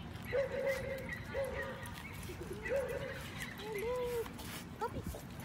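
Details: Siberian Husky at a dog park "lecturing" another dog: a run of drawn-out, wavering, talk-like moans and yowls, several rising and falling in pitch, with a short sharp yip near the end and outdoor background noise.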